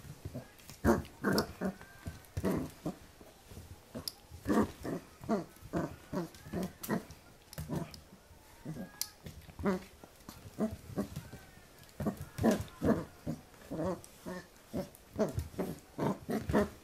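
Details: Playful Pembroke Welsh Corgi puppy tussling with a hand, 2014: a steady run of short rough growls and huffing grunts, over two a second, irregular, continuing throughout with brief pauses.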